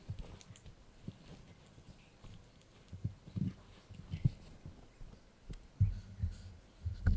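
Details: Yorkshire Terrier puppy Blue munching a dried bunny ear, dull low crunches and clicks at an uneven pace, growing louder and more frequent toward the end.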